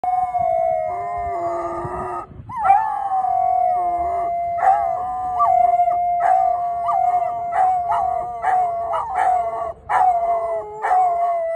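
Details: Several dogs in Thessaloniki howl together, "singing" in wavering, drawn-out tones over a steady sustained pitch.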